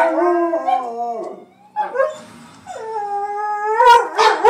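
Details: Pet Miniature Pinscher/Chihuahua mix dog stirred up by Grand Theft Auto sirens, giving drawn-out harmonic howls that slide downward, pause, then rise again into a high, sustained wail ending in sharper yelps.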